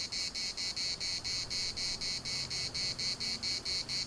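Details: Cicadas singing in the municipal park of Larnaca, Cyprus: a loud, high buzzing chorus broken into rapid regular pulses, about four per second, with a faint low hum beneath.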